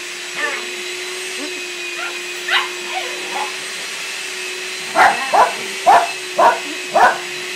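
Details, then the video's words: Puppy play session with a visiting puppy and three resident dogs; faint yips early, then five loud, evenly spaced barks about half a second apart, over a steady mechanical hum. "Puppy play"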